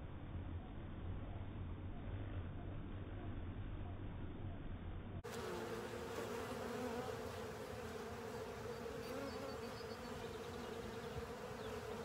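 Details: Honey bees and other insects clean up a honey filter; opens with a muffled, low rumbling hum, then from about five seconds a clearer, brighter steady buzzing drone of many wings continues to the end.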